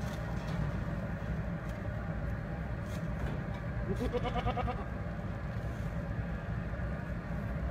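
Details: Goat giving a single short, wavering bleat that rises slightly, set against a steady low rumble of passing vehicle traffic.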